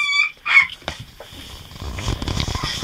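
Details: A 3-week-old male Golden Retriever puppy, frustrated that he can't climb out of his whelping bed again now the rail is removed, gives two high, thin whines, followed by soft rustling.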